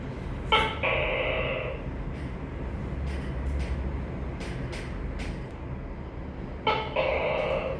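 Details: Tokay gecko (tắc kè) giving two loud two-part calls, each a sharp opening bark followed by a longer harmonic croak, about six seconds apart, with steady low background rumble and scattered clicks between.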